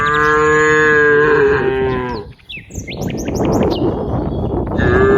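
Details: Herd of cows in green rice fields: one long loud droning moo over two seconds, then bird chirps and rustling, and another moo starting at the end.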